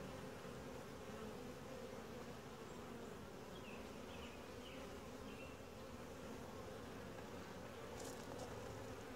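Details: Continuous droning hum from a quiet, calm honey bee colony during a typical hive inspection, steady and unbroken, with faint short chirps midway and a brief crackle near the end.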